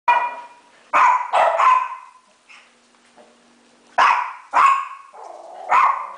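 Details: Several pet dogs indoors bark at a mounted deer head set on a garage counter: about seven loud, sharp barks in two bursts separated by a quiet gap with a faint low hum.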